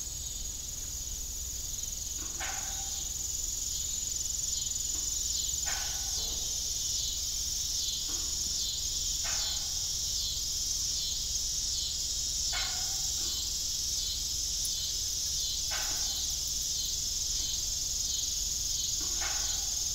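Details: Crickets chirping in the evening on an old farm beside a disused windmill: a steady, dense high-pitched trill throughout, with a short lower creaking sound repeating about every three seconds.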